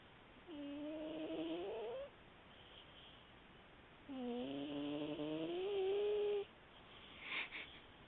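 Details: Sleeping house cat snoring, recorded on a mobile phone: two drawn-out, whistling tonal snores that slowly rise in pitch, about one and a half and two and a half seconds long, over steady hiss, followed by a brief scratchy noise.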